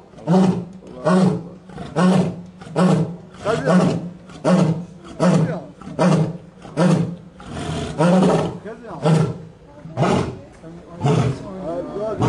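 A lion gives a long series of deep, throaty grunts, each about a second apart.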